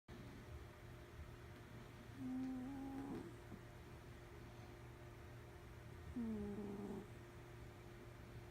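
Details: A cat snores while asleep, giving two drawn-out, slightly wavering nasal tones about four seconds apart, each under a second long, over a steady low background hum indoors.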